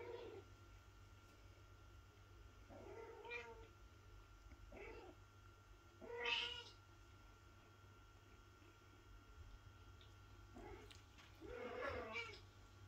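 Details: Mother cat waking her kitten so it will feed; short bright meows repeated every few seconds, one sharper and louder near the middle, the last more drawn out, against a low indoor hum.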